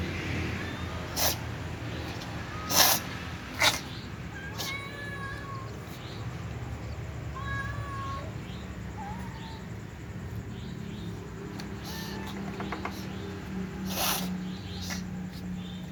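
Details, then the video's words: Black cat among other cats at feeding time, sneezing in short sharp bursts early and again late in the sequence, with brief thin meows and soft mews in between and a low background hum throughout. "black cat sneezes before eating with other cats"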